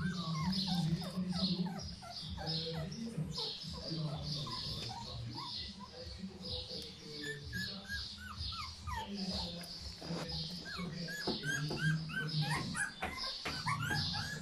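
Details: Litter of 15-day-old puppies calling: many overlapping high, arching squeaks and whines repeating throughout, over a steady low hum and background noise.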